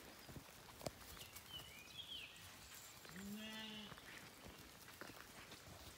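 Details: Zwartbles sheep, ewes with lambs at weaning time on a regenerative farm in County Kilkenny, Ireland, being moved out of a wet field: one faint, wavering bleat midway, preceded by soft bird chirps over quiet outdoor background.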